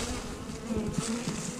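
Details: Hive of honey bees just opened on March 10th, the colony a little hostile: dense, continuous low drone with faint higher overtones and small pitch wobbles from individual flying bees.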